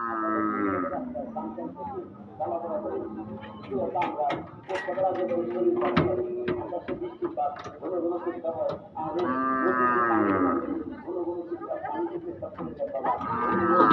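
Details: Angry cattle being unloaded from a truck at a cattle market, with several long harmonic moos rising and falling, the loudest near the start, middle and end, over a crowd of people talking.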